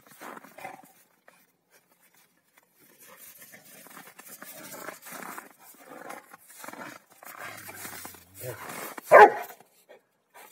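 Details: Rottweilers Malysh and Sam wrestle over who holds the hill; after a near-silent start come scattered rough growly vocal bursts, ending in one sharp loud bark-like shout, then quiet.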